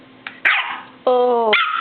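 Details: Pet dog giving a short bark, then a sustained harmonic whine that slides slightly downward for about half a second, ending in another bark; a person talks to it before and after.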